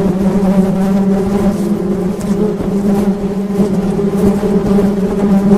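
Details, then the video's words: Honey bee hum, a steady low buzz with overtones, overlaid by rumbling low noise and scattered clicks. "Suara Tawon Madu"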